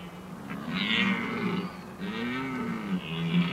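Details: Red deer during the rut at the Oostvaardersplassen on 15 October 2011: deep, harmonic roars rise and fall in overlapping bouts, with a second, higher, more distant-sounding caller in the background.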